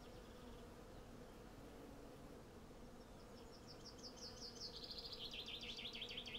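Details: Hundreds of honey bees hum steadily while collecting honey from cherry blossoms, recorded with a Zoom F6 and Sennheiser MKH 8040. The droning buzz fills the background as a rapid, repeated bird trill grows louder over the last seconds.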